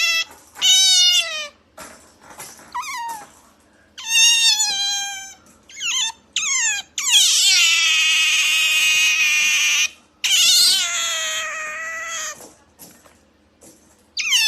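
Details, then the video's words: Pet otter indoors giving cat-like cries: repeated loud, piercing, descending squeals with rich harmonics, some short and chirpy, others long, strained and raspy lasting about three seconds. "Otter Chiro makes cat noise"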